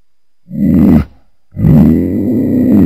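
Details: Cougar giving two deep rumbling growls, a short one and then a longer steady one after a half-second pause, low-pitched with a rich buzzy tone.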